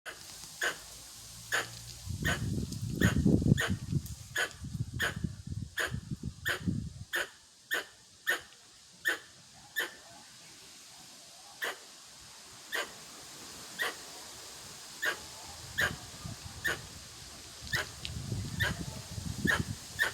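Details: A Pallas's (Formosan) squirrel gives sharp, barking chuck notes, steadily about one per second, in a neighbourhood park in Kanazawa Ward, Yokohama, Japan, on June 13.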